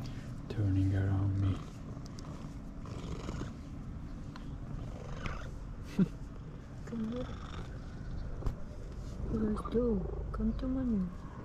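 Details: Rusty, a domestic cat, purring loudly because he is happy to see his owner: a steady low rumble runs through the clip, overlaid by a woman's voice calling to him and brief rising-falling vocal tones near the end.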